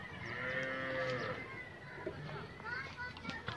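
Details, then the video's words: Nili-Ravi buffalo in Pakistan, kept for sale, gives a drawn-out tonal moo of about one second near the start, followed by clattering and faint human voices in the background. "Nili Ravi Buffalo"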